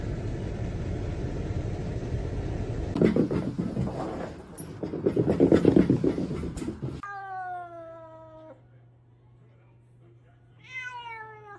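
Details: Domestic cat meowing: after several seconds of loud rustling noise, a clear falling meow with strong harmonics, then a pause and a second shorter meow near the end, a steady low hum underneath.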